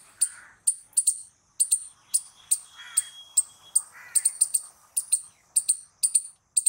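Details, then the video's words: Squirrel calling in uneven bursts of piercing high chips, often doubled or tripled, with brief silences and a few muffled lower rasping sounds. "Squirrel Noises Loud | Squirrel Sound Video"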